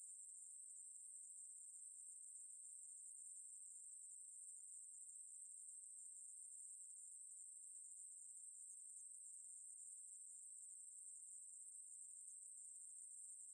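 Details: High, level insect buzz from a Ruspolia katydid, held steadily across about fourteen seconds, from 2020 National Institute of Biological Resources material, with a quiet background.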